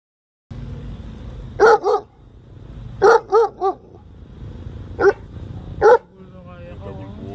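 A German Shepherd gives loud, deep barks in short bursts of one to three.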